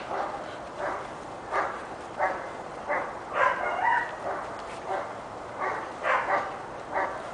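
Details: Pepper and salt Giant Schnauzer puppy Kali, six months old, gives a steady series of about a dozen clipped, mid-pitched barks, each under half a second, spaced fairly evenly.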